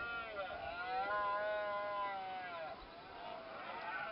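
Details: At sunrise in Cabañeros National Park, Spain, a red deer stag bellows during the rut: a drawn-out, harmonic moan of about two seconds that rises slightly and sinks away, then a quieter, lower groan, against faint hiss.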